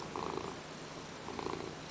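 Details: Pet Ragdoll cat named Peanert purring on a lap while asking for petting indoors; a soft, even rumble that swells slightly in two brief bursts, with light rustling.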